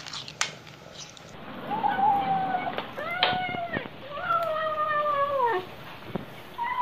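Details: Domestic cats, mother cats among them, making sounds while eating; several drawn-out meow-like calls with clear harmonics, some level then falling, one arched, with a woman speaking softly between them indoors.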